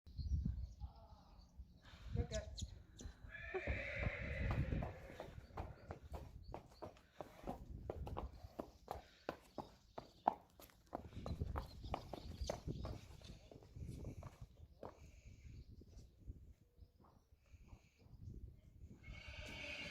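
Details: Friesian horses from a herd being moved to pasture on April 20, 2019, five joining three others: a loud harmonic whinny rises above steady clip-clopping hooves, with people talking and some wind throughout.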